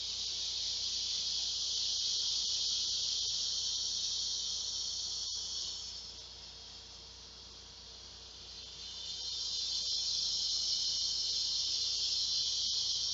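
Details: Large male cicadas calling for females to mate at 12:10 p.m. on a hot summer day, 2 August 2016. They make an ear-piercing, continuous high buzzing drone that softens briefly midway and then swells back to full strength.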